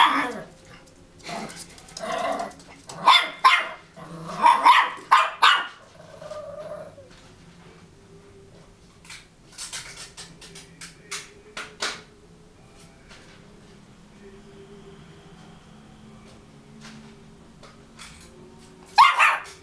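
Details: A brave 2.5-month-old Cairn Terrier puppy gives a burst of sharp, high yapping barks, then falls quiet.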